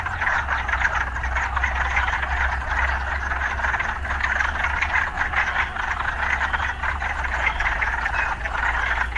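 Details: Frogs in a busy chorus near city life, a dense buzzing band of calls over a persistent low rumbling hum like distant traffic.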